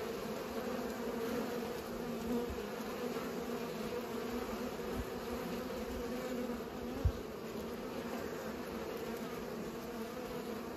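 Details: Steady humming of bees at work pollinating, a constant low drone in stacked bands, with a sharp single knock or tap about seven seconds in.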